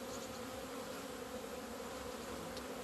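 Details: Honey bees emerging into February sun on 17 February 2020 after two months indoors, at a Romanian apiary; a steady, unbroken low drone of many wings, with a faint tick near the end.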